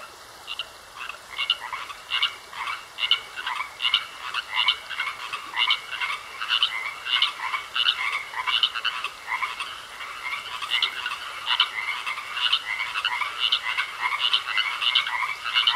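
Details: Pond frogs start quietly, then build into regular bursts of rasping croaks roughly every half second to second, growing denser toward the end.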